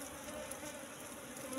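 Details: Wild Asian honey bees (Apis cerana) at a nest found in bushes, its combs holding only pollen and honey with no brood: a steady, low droning hum with a faint higher overtone, held evenly through a brief moment.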